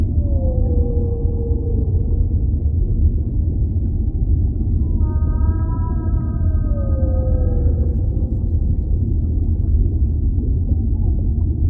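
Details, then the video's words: Whale calling beneath the sea: an opening downward-gliding moan, then a richer cluster of overlapping drawn-out tones, some level and some sliding lower, over a constant low underwater rumble. "Relaxing Whale Sounds"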